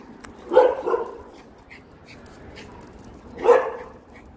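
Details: Maltese named Dubu out on a warm spring walk after a night of rain, barking: a sharp bark with a quick second one, then after a pause of about three seconds another sharp bark, over faint outdoor background.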